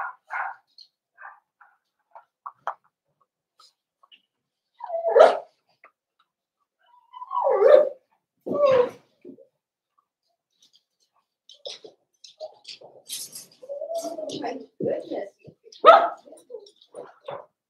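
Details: Cavalier King Charles Spaniel puppies in a home puppy pen, meeting several bigger household dogs during socialization: scattered short whimpers and yelps, a few louder whining cries around mid-clip, and a burst of mixed yips toward the end.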